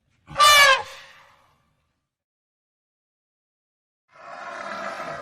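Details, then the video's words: African elephant giving one short, loud, harmonic-rich blast that fades within a second. Silence follows, then a softer, noisy, broadband sound near the end. "African elephant sound effect"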